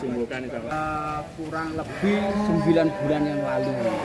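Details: A big cow kept as a prospective Qurban sacrifice lets out two drawn-out, level, nasal lows, the second longer and louder, while people talk in the background.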